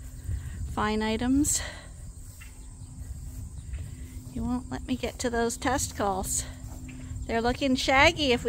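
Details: Sheep rams at Ewetopia Farms, a Suffolk and Poll Dorset operation mixing pasture and confinement, giving short quavering bleats, one early then a cluster of clipped calls toward the end, over low rumbling background noise.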